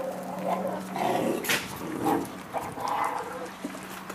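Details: Two Miniature Pinscher puppies aged eight and six weeks growl over meat: rough, throaty grumbles in repeated short bursts roughly every half second, with a few higher whiny edges and soft scuffling.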